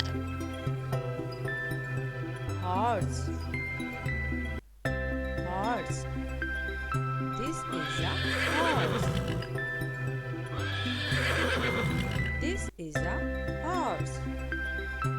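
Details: Horse whinnying in two long, shaky, descending neighs midway through, over constant background music and a voice naming the horse.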